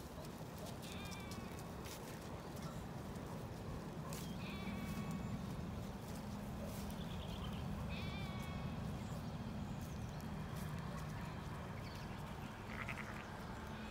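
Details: Ewes and lambs settling in a pasture on a regenerative farm in County Kilkenny, Ireland. Several wavering, harmonic bleats sound at intervals over a steady low rumble of field noise.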